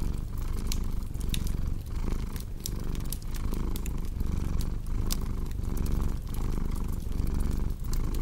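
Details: Soft rumbling purr of a cat rising and falling gently, overlaid by bright snapping crackles of a fireplace.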